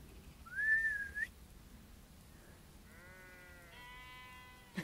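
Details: Sheep in a flock being chased by a golden retriever bleat with two drawn-out, harmonic, slightly wavering bleats, preceded by a sharp rising human whistle; quiet outdoor background.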